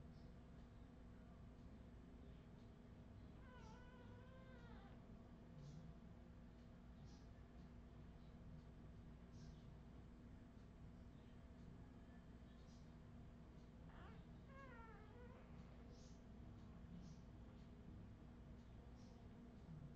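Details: Australian Terrier puppies from Redwing, 2018, let out two drawn-out, wavering whines several seconds apart, each bending up and down in pitch, with faint ticking sounds and steady low hum between them.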